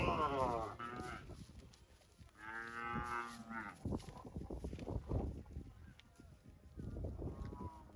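A cow gives several deep, drawn-out moos with rich harmonic tones.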